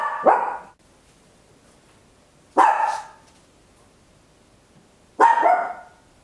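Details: Small Papillon dog indoors at home giving loud barks, recorded on an Olympus LS-11: three single raspy barks, each about half a second long, spaced roughly two and a half seconds apart against near silence.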